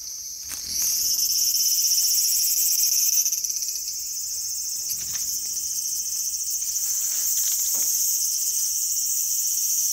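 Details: Cicada in a small garden on August 5, 2020, giving a loud, continuous high-pitched buzzing drone that swells in the first second and holds steady, with a few faint clicks beneath.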